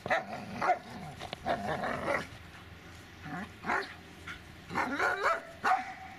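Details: Dobermann Magmar Von Der Burgstätte giving irregular barks, some clustered and some isolated, mixed with lower rough grumbling between bursts and faint background noise.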